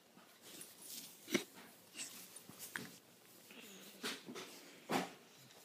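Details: A sleeping 4-month-old male English Bull Terrier puppy snores with breathy, wheezing snorts at uneven intervals.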